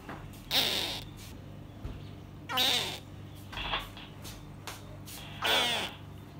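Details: A two-week-old baby false gharial gives short, harsh, mewing chirps, repeated a few times with pauses between.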